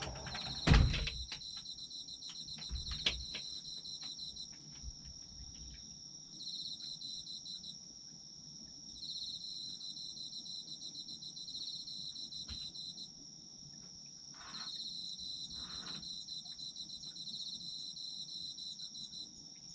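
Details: Autumn insects chorus in a sleep ASMR recording: a steady, high, unbroken ringing tone runs throughout, overlaid by lower pulsed chirping trills that come in bursts lasting several seconds, with a few dull knocks and thumps near the start.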